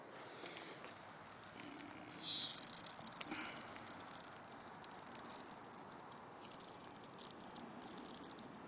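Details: A cicada on its last legs after falling out of a tree in summer gives a brief, loud, high buzz, then a faint, scratchy rattling patter.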